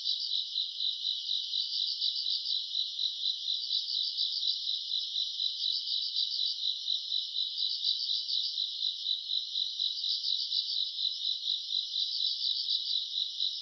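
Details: Summer-night chorus of grass insects recorded in August: an unbroken shrill trilling wall, pulsing in waves every second or so, many insects together, nothing else audible.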